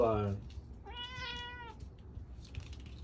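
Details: A cat that has just eaten keeps begging for more food: a brief falling meow, then a longer, steady, clear meow lasting nearly a second, in a quiet room.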